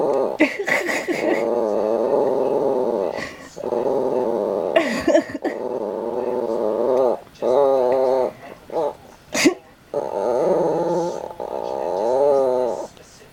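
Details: Molly, an old, eccentric Yorkshire Terrier indoors, apparently reacting to something that was not there, gives long rumbling growls lasting several seconds each, broken by short pauses and a few brief clicks and bits of voice.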